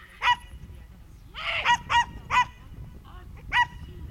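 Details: Young Schipperke at a herding training course, September 2010, giving a run of shrill, clipped barks, five or six quick yaps a few tenths of a second apart, over a quiet low background.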